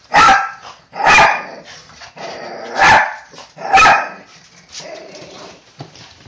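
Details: A Chihuahua and a Toy Poodle × Pomeranian mix, pet dogs that always wait behind the door, greet their owner arriving home with four sharp, forceful barks about one second apart, then quieter yips and snuffling.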